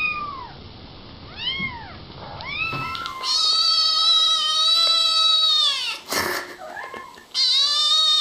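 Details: Kittens meowing: a few quiet arched mews at first, then long loud sustained cries rich in harmonics, broken by a sharp knock before the crying resumes.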